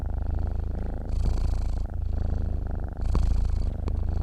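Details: A cat dozing and purring, a dense low vibrating drone with two brief breathy surges as it inhales, otherwise unbroken and close.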